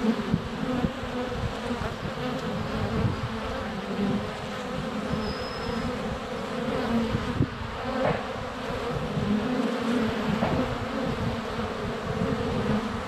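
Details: Crowds of honey bees flying around the hive entrance on a sunny February day, recorded close up with a GoPro Hero 7 Black; a continuous low buzzing drone with occasional nearer passes swelling the hum and a brief thin whistle midway.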